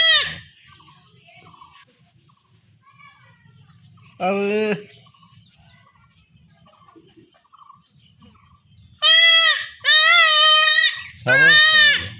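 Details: Young village goat in rural Bengal bleating during home castration: a brief lower cry, a pause, then three loud, quavering bleats in rapid sequence, with faint background rustling.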